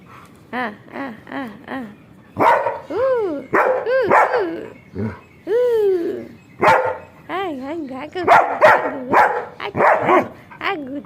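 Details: German Shepherd named Sheru, a pet dog at play, makes a long run of vocal sounds: short yelps, then sliding, arching whines and grumbling barks in irregular bursts over eleven seconds. A person speaks playfully to him in Gujarati throughout.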